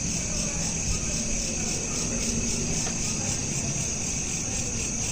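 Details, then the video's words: Nighttime crickets captured with a smartphone, giving off a steady stream of rapid, high-pitched pulsing trills layered in bands, with a continuous broadband background hiss and low rumble underneath. "Night Lamp Ambience with Crickets"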